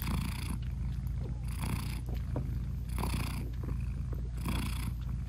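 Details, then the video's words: British Shorthair mother purring as she nurses and talks to her newborn kittens; rough low rumble with rhythmic louder breaths roughly every one and a half seconds, no music. "Cat Purring Meowing 🥰Sweet Mommy Cat Talking to her Cute Tiny Kittens 😘British Shorthair Cats"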